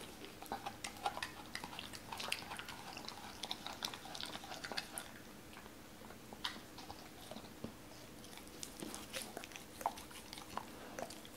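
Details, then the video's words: Cola the Doberman chewing raw chicken, bones included, in a small indoor room; irregular crisp crunches and soft mouth clicks scattered through a low background hum. "도베르만 생닭 먹방 ASMR"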